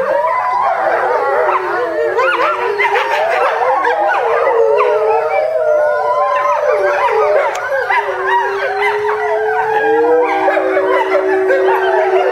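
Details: A family of eight eastern timber wolves, parents and young, howl together at a Japanese zoo in July 2011, their wavering voices overlapping in a continuous chorus, ending with one young wolf barking.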